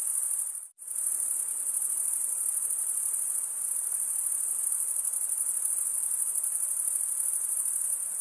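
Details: Crickets chirp by stridulation, males scraping one wing along the serrated vein of the other. A high, continuous trilling chorus drops out briefly near the start, then resumes evenly with no background sounds.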